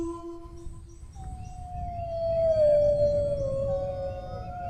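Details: Brief steady tone, then a long mournful dog howl that starts high and drifts slowly downward over several seconds. A soft low rumble runs beneath it.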